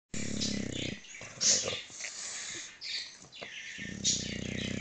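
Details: English Bulldog taking a nap, with a low, rough harmonic snore at the start and again near the end, while high chirping birds call throughout in the background.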